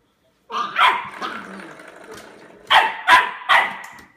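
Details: Young Labrador puppy at play with a door stop, one yelping bark then a low whiny grumble, followed by three quick sharp yaps at the end.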